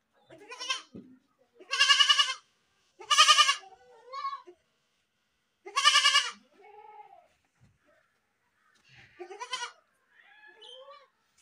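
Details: Goats screaming: a series of loud, raspy, drawn-out bleats with strong harmonics, each under a second long, separated by quieter shorter bleats and pauses of silence.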